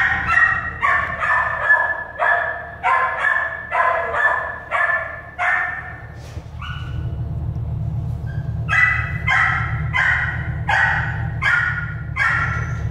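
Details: Shelter-born American Staffordshire Terrier puppies bark in a rapid, steady run of about a dozen bright yaps. A brief whine and a lull follow, then another quick series of yaps over a low rumbling background.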